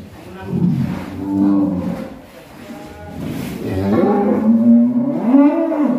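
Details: Black cattle described as raging, giving two drawn-out, low, harmonic moos that rise and fall, the second louder and longer, with faint human voices in the background.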